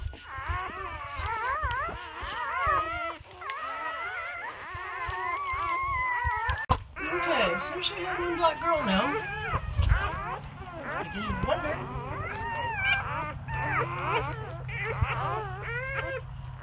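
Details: Newborn English Labrador Retriever litter from Bubbles and Chubbers, nine pups (chocolate and black), 25 April 2016: many overlapping high, wavering whines and squeals, a sharp click midway, low hum and occasional voices beneath.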